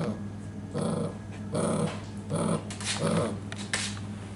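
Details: Belgian Malinois puppies giving short, rough growling barks and whimpers in uneven bursts about once per second, each burst harmonically rich, with a steady low hum underneath.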